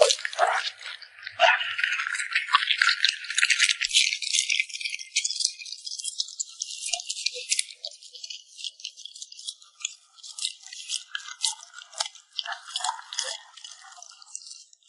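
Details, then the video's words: A puppy eating at close range: rapid, rattling lip smacks and crisp chewing clicks, loudest in the first half and then thinning into scattered smacks and short pauses toward the end. "the sound of a cute puppy smacking its lips"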